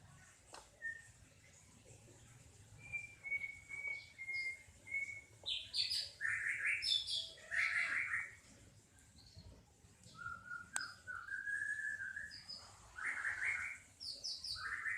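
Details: Newborn kampung cat kitten, striped in colour, nursing from its mother; thin, high mews, some flat and drawn-out, others short and falling, come in uneven bursts with brief quiet gaps in between.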